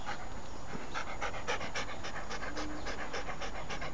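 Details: Siberian Husky named Rocky, a playful pet dog, panting fast and steadily, roughly four quick breaths a second without pause, over soft background music.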